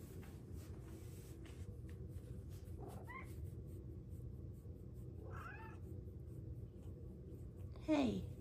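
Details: Female Bengal cat indoors chatting with her owner: two faint brief chirps, then a louder falling meow-chirp at the end, over steady low room noise.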